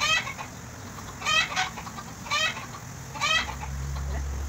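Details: During bottle-feeding in Bahrain, a tame goat utters quavering bleats, four short tremulous cries spaced about a second apart, with a low droning rumble rising near the end.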